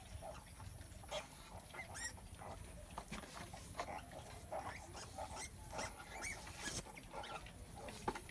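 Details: Mother pig farrowing, a sow in labour, giving quiet repeated grunts and snorts in irregular bursts over a constant faint hum and rustling.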